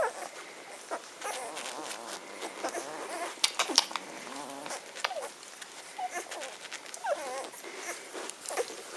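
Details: Ten-day-old Magyar Vizsla puppies of the B litter, vom Elsterhaus, 23 May 2015: thin, wavering high whimpers and squeals come in short bursts amid constant clicking and rustling scuffles.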